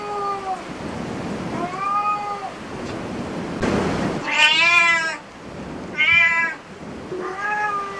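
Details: Cat at a cat cafe meowing repeatedly, about five drawn-out calls over eight seconds, some soft and falling, others louder and brighter, with a brief burst of noise between them.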